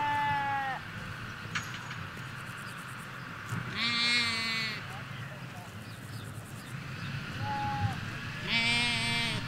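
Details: Several sheep, ewes and lambs, in a field in the Hampshire countryside: repeated overlapping bleats, some higher thin lamb-like calls and deeper quavering ones, arriving every few seconds over a low steady background.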